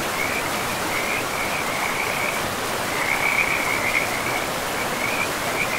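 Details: Forest river frogs: bursts of quick, rattling high notes come in uneven runs with short gaps between them, laid over a continuous roar of flowing water.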